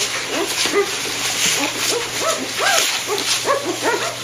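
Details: Golden retriever puppies one week old, kept at a kennel, giving a steady run of short squealing whimpers, arched and wavering, several overlapping, over constant background hiss and a low electrical hum.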